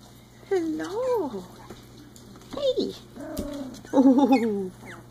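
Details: Three-week-old Icelandic Sheepdog puppies at play, giving short tonal whining yelps that rise and fall in arcs, in three bursts over five seconds, with a person's voice nearby.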